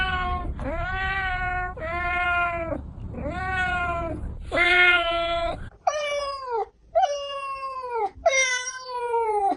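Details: Cats meowing steadily over a low rumbling background, first four sustained meows, then three shorter falling meows in a quieter setting.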